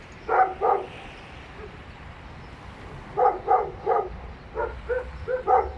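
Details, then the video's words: Dogs barking inside an apartment building, three animals present; a pair of loud barks, a quiet gap, then a faster run of six or seven sharp barks with low rumble underneath. "noise pollution caused by dogs inside the apartment building"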